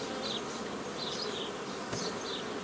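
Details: Dense buzzing of honey bees on 15 May 2018 while nucleus colonies are made old-style from an earlier forager swarm; an unbroken, even hum with one soft knock near two seconds.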